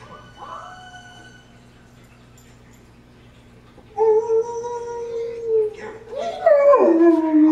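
A German Shepherd howls long and steady, joining wolf howls playing from a cartoon soundtrack.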